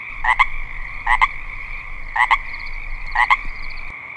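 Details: Male Pacific chorus frog (Pseudacris regilla) in a marsh in early spring gives a two-part raspy 'rib-bit' croak, repeated about once a second, calling to attract a mate.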